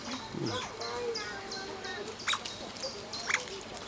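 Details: Asian small-clawed otters at play together on a peaceful afternoon, handling rocks and objects, squealing with joy: sharp high chirps and short sweeping squeaks over a low steady background, with a few louder peaks near the end.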